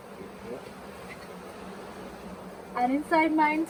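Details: Honey bee swarm on the grounds of the Tamarind Tree Hotel, swarming late in the year and being caught into a nuc box: a steady, low droning hum fills the first seconds, then human voices break in near the end.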